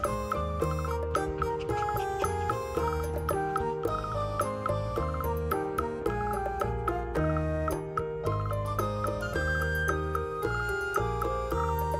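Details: Bright, bouncy mallet-percussion music with chiming notes plays steadily throughout, and no animal voices are heard.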